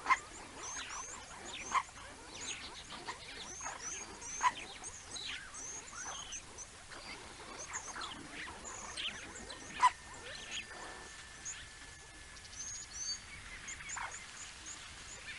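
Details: A banded mongoose family at a wildlife camera site (Naledi), 19 May 2019, gives a scatter of brief high squeaks and chirps over a soft background hiss.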